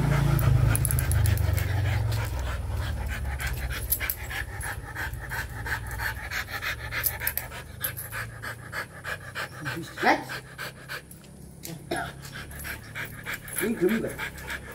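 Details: Mating Rottweiler panting hard in quick, even bursts, roughly three per second. A deep rumble of handling noise fills the opening seconds, and a few brief higher tones appear near the end.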